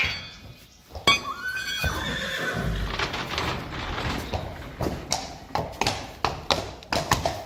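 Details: Friesian horse, one of a pair driven in harness, whinnies: a high, harmonic, quavering neigh falling in pitch over about two seconds, followed by rapid, regular clip-clop of hooves.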